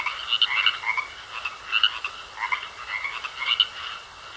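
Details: Frogs in a pond trade short, buzzy rattling croaks in separate bursts about every second, with quieter gaps between and a faint steady high tone throughout.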